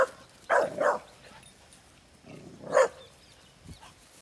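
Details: A pit bull barking at a cow it is attacking alongside another pit bull gives a few sharp, mid-pitched barks, a quick double bark followed by single ones.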